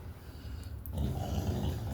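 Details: Low rumbling growl from a household dog, Shelby or Cassie, indoors: quiet at first, then swelling after about a second into a louder, continuous throaty rumble.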